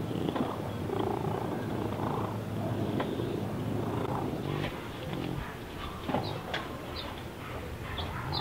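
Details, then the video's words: Deaf domestic cat with neurological and breathing problems, snorting and snoring like a pig while awake; a rough, breathy, continuous rumble with uneven rhythm, a few faint clicks and short higher noises near the end. "CAT SNORING WHILE AWAKE (The Feline Pig)"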